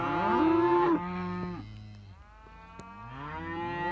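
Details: Young Simmental cattle: one loud, steady moo with strong harmonics, then fading lower bellows, with a second moo rising at the end.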